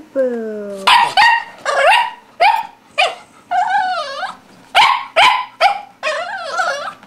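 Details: Four-month-old English Toy Spaniel puppy named Boo, stuck on a chair while playing with a ball, giving high whines and sharp yelping barks that bend up and down, about ten bursts in seven seconds, indoors.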